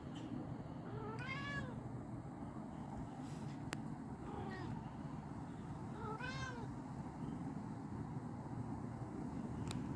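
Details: Cat JJ calls to another cat with three drawn-out meows, at about one, four and six seconds, each bending up and back down, over a constant low hum and a couple of sharp ticks.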